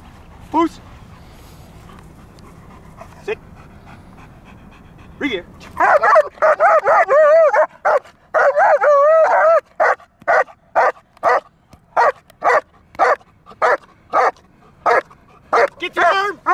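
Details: German Shepherd from Kraftwerk K9 during training under full control: after quiet commands, loud harmonic yelping barks break out at about six seconds, followed by sharp barks repeated roughly every 0.7 seconds to the end.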